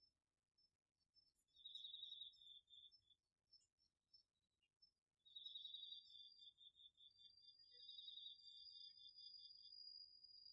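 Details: Autumn night chorus of crickets and other insects in a home garden vegetable plot, recorded with a DR-40X: bursts of rapid high pulsed chirping start and stop, over a steady thin high trill, with brief quiet gaps between.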